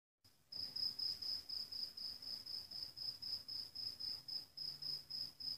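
A field cricket sings a steady series of high, pure chirps, each a short ringing burst repeated roughly four times per second. A faint low rumble sits quietly underneath.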